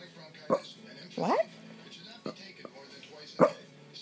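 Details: Shih Tzu named Annabelle, a female dog seeking her owner's attention indoors, gives four short vocal bursts: brief yelp-like sounds and one longer whiny tone that rises then falls, separated by quiet pauses.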